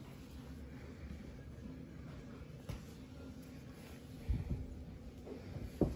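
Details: A quiet indoor room hum is broken by a few soft knocks and thumps near the end, with no animal call audible.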